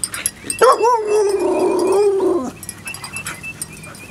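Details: Puppies at playtime: a drawn-out, steady, mid-pitched whine lasting about two seconds, dipping slightly at the end, with soft yips and rustling before and after.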